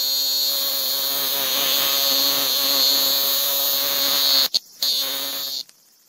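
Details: Robust cicada held in the hand after capture in a small park in Kitano, Japan, August, its call changed. A harsh, nasal, harmonically rich buzz wavers, then breaks off abruptly twice, with handling noise and a brief resumption.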